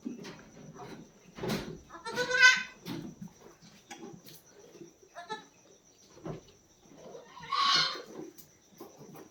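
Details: Goat bleating where a doe has newly kidded, her young weighing roughly three and a half kilograms; a quavering bleat at about two and a half seconds and a hoarser, noisier one near eight seconds, with scattered rustles and knocks between.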